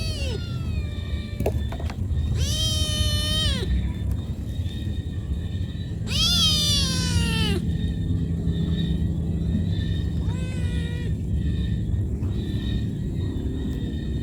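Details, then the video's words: Cat calling its mother for food with loud, drawn-out meows repeated every few seconds, some sustained and level, others falling at the end, over persistent low-pitched background noise. "Cat call mom"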